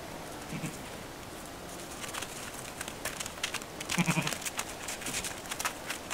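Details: Kirppu, a lamb, explores the adult sheep's pen on 20 December; two short, low bleats sound near the start and again around four seconds, over steady hiss with soft rustling and shuffling in the straw.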